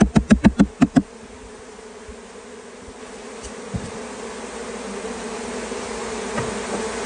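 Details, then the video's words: Honey bees swarming in California as the cluster is caught; six quick loud thumps open, followed by a low buzzing hum of the swarm that slowly swells louder toward the end. "This is how we catch a bee swarm in California"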